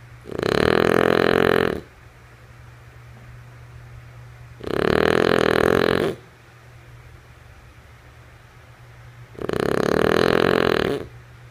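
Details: A female French Bulldog named Lulu snoring while asleep indoors: three long, loud, rasping breaths about four seconds apart, each a broad rumbling snore lasting roughly a second and a half, with quiet breathing gaps and a steady low hum between.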